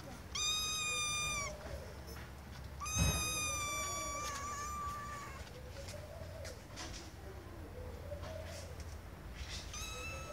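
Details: Drawn-out, steady high meows from a kitten trying to get its owner's attention, two close together and a later fainter one, over a low background hum and a knock.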